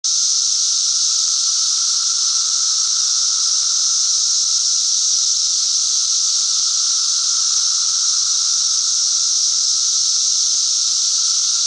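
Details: Cicadas singing in a steady, unbroken high buzzing drone that holds level throughout, with a thinner tone running beneath it and no pauses or other sounds.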